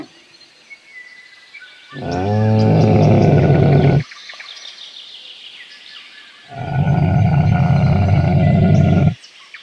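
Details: Camel giving two long, deep, rumbling roars, each about two seconds long, with a gurgling, throaty quality and a short quiet gap between them.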